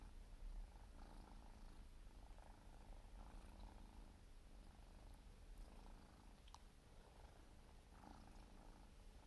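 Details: Purring of a 4-month-old Siberian kitten during grooming, a low even drone overlaid with gentle regular licking strokes roughly every second, plus a few small clicks.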